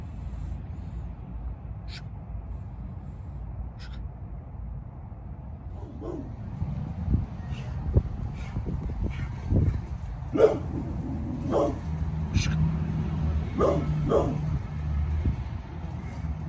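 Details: Bullet, a Pit Bull almost 11 years old, barking while protecting the yard; rough barks come irregularly, roughly one per second, and grow louder and denser in the second half over a steady low background rumble.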